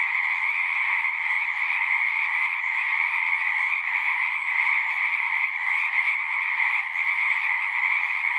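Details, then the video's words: Natural chorus of many singing frogs, a thick, steady trilling hum carried by two strong bands of calls, unchanging in intensity, no birds, wind or voices breaking through. "One hour of singing frogs."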